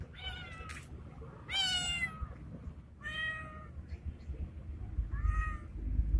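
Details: Male street cat resembling a Bengal, in heat and calling for a female: four drawn-out, harmonic meows spaced over six seconds, the second loudest and longest, over low background rumble.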